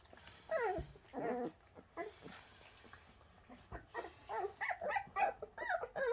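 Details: Bernese Mountain Dog puppies, the Shasta puppies, whining and squealing in a run of high, wavering cries that bend up and down, with bursts clustered near the start and a quick string of shorter yelps toward the end.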